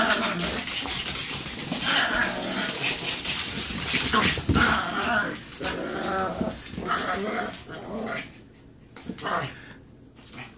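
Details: Chihuahuas fighting indoors, a busy tangle of yips, whines and snarls with broadband bursts, loud and irregular, fading toward the end; human voices mixed in.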